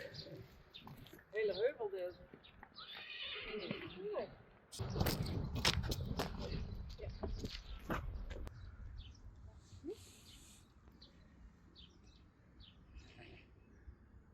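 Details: Friesian horse foals on a farm: a brief wavering whinny early on, then heavy hoof thuds and scuffling in the middle, with people talking and a snort near the end.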